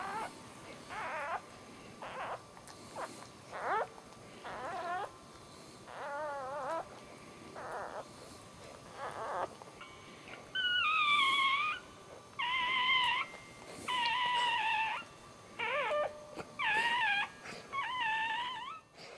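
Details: Newborn Dachshund puppy, the litter's first, a male just born indoors, gives repeated high wavering squeals and cries in short bursts, growing louder and longer toward the end, with quiet talk around.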